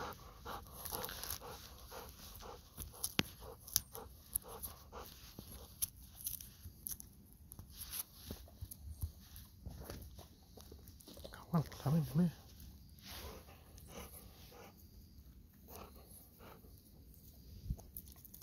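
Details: Pet Golden Retriever Kohaku begging its owner for a mandarin, breathing in quick, uneven panting bursts with soft snuffles and a brief squeaky whine midway, over a low outdoor rustle.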